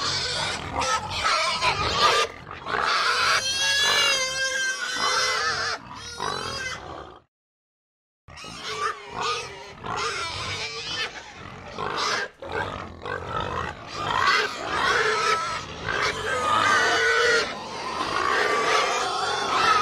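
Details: Herd of pigs screaming madly, shrill harmonic squeals piling over rapid grunts, about 160 bursts a minute, a brief full silence around the middle before the noisy squealing chorus resumes.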